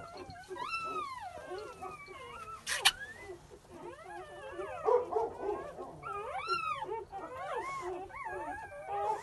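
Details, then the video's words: Just-born English Pointer puppies crying in a litter, high wavering whimpers and squeals sweeping up and down, overlapping from several pups, with a short burst of rustling noise near the start. "Pointer Puppy"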